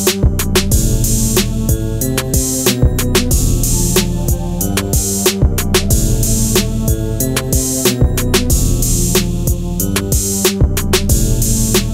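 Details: Steady drum-machine beat with bass and layered instruments plays throughout, with no animal sound.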